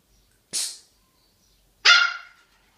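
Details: Siberian husky puppies giving two short sharp yips or barks, the first brief and bright, the second longer with a falling tail, separated by about a second of silence.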